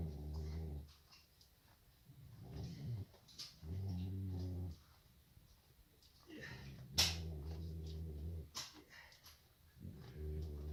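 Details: Snores from Tamirchik, a sleeping Nubian billy goat in the stable: deep, growly, droning inhalations of one to two seconds, repeated at uneven intervals, with faint knocks and rustles between them.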